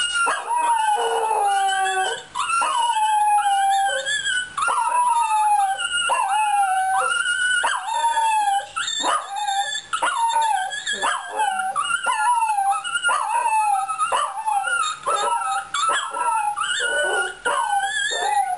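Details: Singing Fox Terrier producing a long run of high, quavering howls. Notes bend and wobble, rising and falling in short phrases with brief catches between them. A near-continuous vocal performance.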